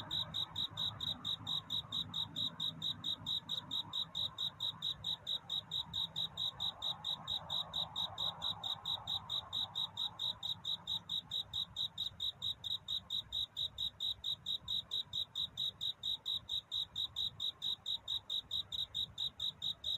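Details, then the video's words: Long run of a cricket's night courtship song near dawn: bright, high chirps come quickly and evenly, growing sharper and more distinct toward the end, over a low rumble and breathy background hiss. "편안한 잠을 부르는 귀뚜라미 울음소리. 슬퍼 말아요 우는 것이 아니라 사랑을 찾는 노래랍니다 구애의 밤"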